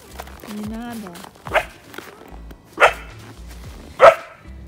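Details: Three-month-old Central Asian Shepherd Dog (Alabai) puppy giving three sharp, separate barks about one to one and a half seconds apart, with a person's voice earlier and soft music behind.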